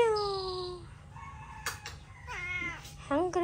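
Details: Hungry cats meowing: a long, drawn-out meow that falls slightly in pitch, then a pause and two shorter bent meows close together near the end, over a low steady background hum.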